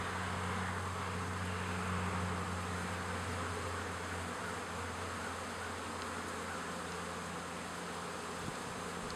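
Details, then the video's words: Busy honey bees carrying bright orange pollen, a dense continuous buzzing hum from many insects, steady and low-pitched throughout, with a faint single knock near the end. "Busy bees"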